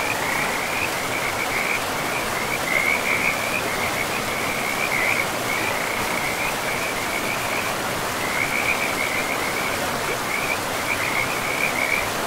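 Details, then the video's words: Riverside frogs in an untouched forest with mossy ground: bright, rattling chirps repeat in clustered runs with brief pauses, set against a continuous hiss of rushing river water. "River and Frogs sleep sounds"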